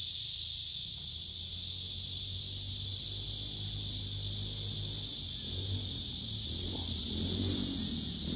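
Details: Cicada chorus from a tree with singing males: a constant high shimmering buzz over a noticeable low humming rumble, with a rising murmur of background noise toward the end.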